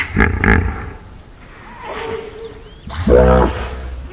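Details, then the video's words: Hippopotamus in a field recording, deep pulsed grunting bursts at the start, a quieter low call in the middle, then a loud resonant grunting roar with stacked harmonics near the end. "Field Recording of Hippopotamus Sound Effect"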